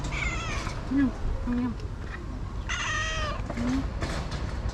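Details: Orange stray cat at an outdoor feeding spot meows twice, a short rising cry then a longer bright one, with soft low murmurs and traffic rumble behind.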